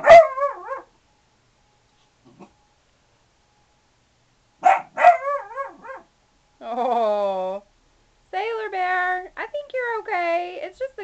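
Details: Four-month-old puppy guarding against the garbage man, giving three short, sharp yaps, one alone and then a quick pair, followed by a woman talking soothingly to it.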